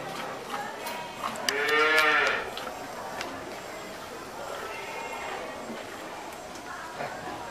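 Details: Cattle lowing during milking: a single harmonic moo near the middle, swelling and fading over about a second, amid steady background noise and a few clicks.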